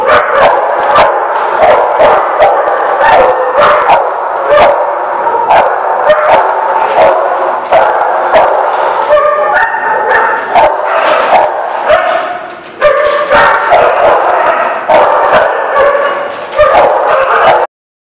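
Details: Many dogs in a barking lot, dated 12/04/17, keep up continuous overlapping barking for about eighteen seconds, sharp barks and yips piling over one another without pause until an abrupt stop at the end.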